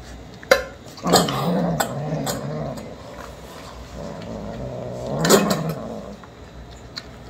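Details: Kittens raised in a multi-cat home, eating wet canned food and loudly asking for a can to be opened: two low, drawn-out harmonic cries with wavering pitch, separated by a pause, plus sharp clicks and clatter between them.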